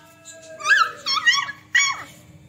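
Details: Beagle and Labrador puppies playing with each other: three high, whimpering yelps, each sliding sharply downward, the first two close together and a third after a short pause, over a faint steady hum.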